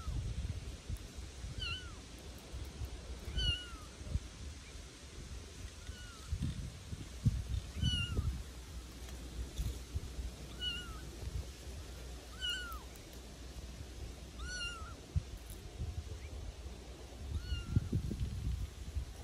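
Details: A litter of Bengal kittens playing outdoors in a back garden, repeated high curved mews roughly every one to two seconds, around ten in all, with soft rustling and bumps underneath.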